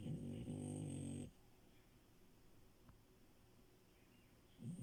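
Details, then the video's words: Milo, a French Bulldog, asleep in bed, giving a strong low vibrating snore at the start, a quiet pause, then the next snore beginning at the end. "Frenchie love and her snores"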